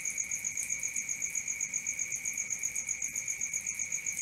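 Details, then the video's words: Brief burst of nighttime cricket chirping: rapid, regular high pulses near four per second on a steady piercing tone, with a sharper overtone above. "Cricket 1 hour for Sleeping & Relaxation, Black Screen, ASMR, Dark Screen Nature Sounds"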